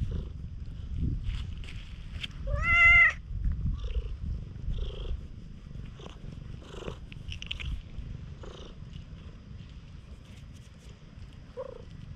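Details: Affectionate stray cat that looks like a tanuki, at a campsite just after rain, GoPro recording; one clear rising-falling meow near the start over a soft low purr, followed by scattered light clicks and rustling.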